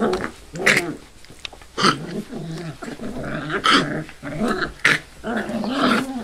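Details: Five-week-old Labrador/hound mix rescue puppies, several together, giving short yelps and growly grumbles in bursts, with soft whimpering between calls.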